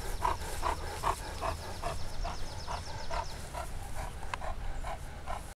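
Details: Newfoundland rescue dog Max, a gentle four-year-old male, greets another dog in his foster home with rapid rhythmic huffing pants, about two to three per second and fairly steady throughout, over a low background rumble.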